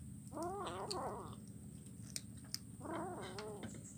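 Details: Kitten eating fish bones, recorded Wednesday 17 July 2019 on Jalan Kolonel Sugiono in Kuala Kapuas, Central Kalimantan, Indonesia; two wavering, whiny meows with bent harmonics, each about a second long, over steady low hum and faint clicks.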